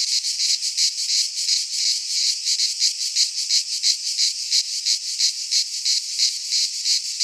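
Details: Cicadas singing in midsummer in a Greek pine forest: a loud, dense, buzzy high-pitched drone pulsing in regular beats about three times a second, no other sounds.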